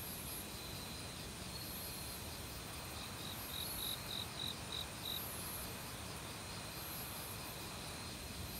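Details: Crickets singing in an autumn forest among other insects: a short burst of quick, evenly spaced high chirps mid-clip, with faint sustained trills above and the loud steady hiss of stream water throughout.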